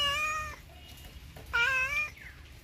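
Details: Two drawn-out domestic cat meows, each about half a second long, clear and tonal with a slightly rising then level pitch, separated by a short pause in a quiet room.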